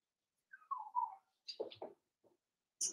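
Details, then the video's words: Five-week-old Cavalier King Charles Spaniel puppies in Daisy's indoor puppy pen: a thin whine slides downward and wavers for about half a second, followed by a few short, rough grunting yelps and a brief high squeak. "Cavalier King Charles Spaniel Puppies Livestream"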